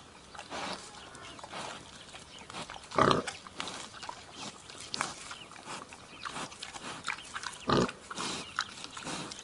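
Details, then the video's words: Wild boar with a single harsh squealing grunt midway and a shorter one near the end, amid scattered soft snuffles and clicks over low background noise. "Wild boar sounds"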